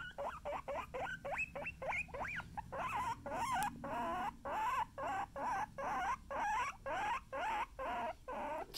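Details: Indoor guinea pigs from the Kona and Suba household give a long string of loud, wavering squeals, about two per second, some rising sharply, others warbling up and down, continuing steadily for nearly nine seconds.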